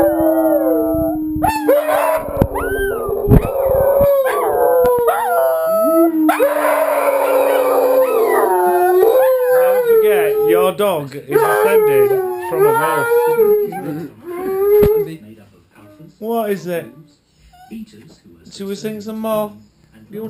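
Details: Domestic dogs, two of them, howl in chorus alongside wolves on television as a pack-bonding ritual; long quavering overlapping howls gradually break into shorter, choppier yips and wavering notes before fading.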